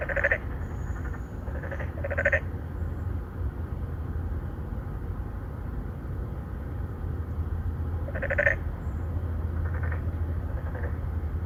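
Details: Three or four narrow-mouthed frogs courting females in an apartment-complex pond in Songdo, Incheon, Korea, recorded on a Galaxy Note9. Short pulsed, nasal croaks come in small bursts near the start and again later, over a steady low rumble.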